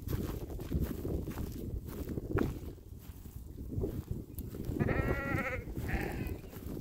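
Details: Sheep grazing on a meadow beside a lake alongside cows: two short, wavering, nasal bleats near the end, the second briefer, over steady low rumbling and munching noise.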